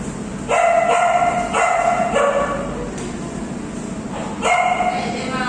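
An Alaskan Malamute vocalizes with long, rich, howl-like notes, each held for about a second and slightly wavering in pitch. Several calls come in quick succession, then pause before another begins.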